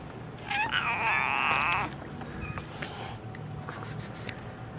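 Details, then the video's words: Black and striped street cats calling in the street: one long, loud, strained meow rising then holding for about a second, followed by a shorter faint call, against a low steady hum and background noise. "Gato negro con gatos rayados maullan en la calle"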